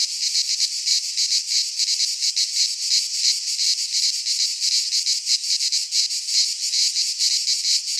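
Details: Greek pine forest cicadas in midsummer sing a constant shrill buzzing, its throbbing pulses slower and more uneven here, the high-pitched wall of sound steady and unaccompanied.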